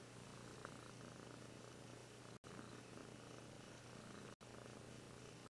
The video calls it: ごろごろ~Russian Blue Cat KOHARU Purring~